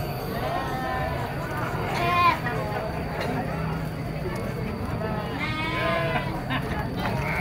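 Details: Young goats at a goat market give wavering, nasal bleats, one near two seconds and a longer series toward the end, heard over steady crowd chatter and market noise.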